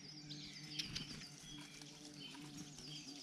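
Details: In a garden where birds come to feed, a bumblebee gives a low, steady droning hum alongside a Eurasian collared dove, while small birds add thin, high chirps and a few sharp ticks.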